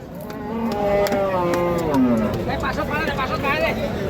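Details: Holstein Friesian cattle for sale at a busy livestock market; a drawn-out, falling moo rises over constant human talk and haggling in the background.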